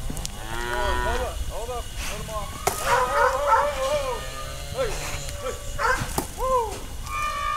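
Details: Brahma, Hereford and Brangus cattle during a round-up to sort calves and sell off older cows; several animals give short, overlapping bawling moos with arched rise-and-fall pitch, calling one after another amid knocks and clatter.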